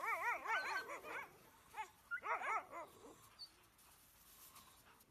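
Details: Greenland Dogs in a pack in Greenland making quick runs of wavering, up-and-down whining yelps, two bursts in the first three seconds, then only faint background noise.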